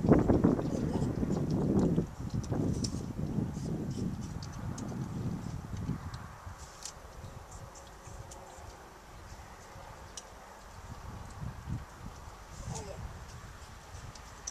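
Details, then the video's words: Young female pileated gibbon Violet munching a favourite yellow apple at the Gibbon Conservation Center, Santa Clarita, California; loud crunching for the first six seconds, then softer, sparse chewing with a brief faint squeak near the end. "Violet's happy eating sounds"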